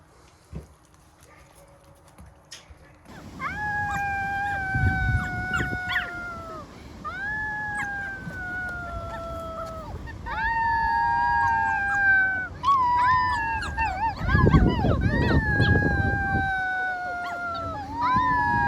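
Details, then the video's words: Rescued wild wolf pups howling together in a chorus of long, level, slightly falling tones that overlap, with rising wavering yips breaking in; quieter rustling and scuffling at the start, then steady layered howls. "ВОЙ ВОЛЧАТ"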